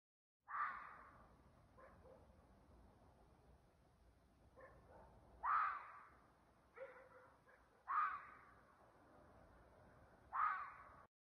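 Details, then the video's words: Fox screaming at night in a forest near a house: four loud, harsh, hoarse screams at irregular intervals of about two to five seconds, with fainter shorter calls between them against a quiet background. "zorro 🦊 grita por la noche en el bosque cerca de mi casa"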